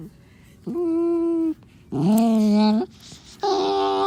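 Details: Onyx, a black Morkie, guarding his toy when someone gets too close, makes 'devil sounds': three drawn-out, moaning whine-growls of about a second each, the middle one lower and rougher, separated by short pauses.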